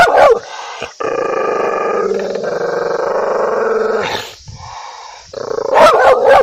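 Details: Angry dog barking loudly: a sharp bark opens, then a long, steady, harsh snarling growl lasting about three seconds, and a final burst of loud, rough barks.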